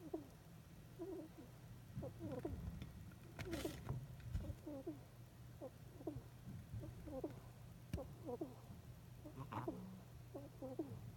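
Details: Sleeping soundly, the hedgehog Sumiko gives relaxed snuffling breaths and hiccup-like "hikku hikku" squeaks. Quick high chirps come in steady clusters, with a brief rustle partway through and a low background hum.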